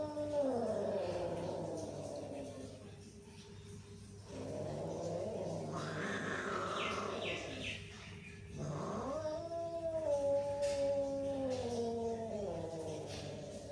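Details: Cats hissing and growling at each other: long moaning growls rise and fall in pitch, with a brief higher yowl in the middle and a sharp dip before a final drawn-out wail, over steady background hum.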